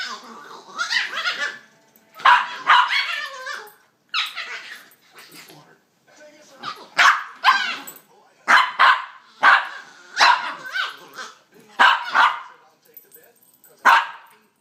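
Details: Pups roughhousing during play, giving a long series of high, squealing yelps, barks and chattering cries, irregular bursts roughly every half second to one second, sounding strangely like monkeys.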